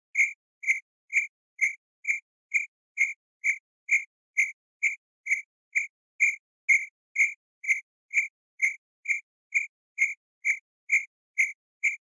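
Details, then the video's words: Crickets around a campsite keep up a metronome-like series of short, shrill chirps, close to two per second, steady in loudness, with no other sounds. "CAMPING CRICKETS"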